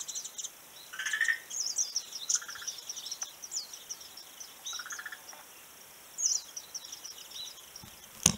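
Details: Frog calling on a beach, recorded 11 March 2017: short rattling bursts of rapid pulses, each about half a second, heard three times, with high thin chirps and twittering from other creatures across the background.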